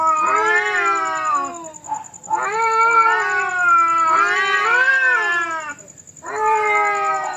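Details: Cats fighting, trading long, drawn-out wavering yowls rich in overtones. Three sustained wails rise and fall, separated by brief pauses, over a steady thin high-pitched electronic whine.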